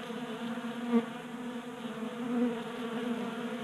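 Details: Honey bees feeding from a 3D printed feeder indoors in a Colorado garage in January; a steady, deep buzz with two short louder surges as individual bees fly near, against the background hum of the group.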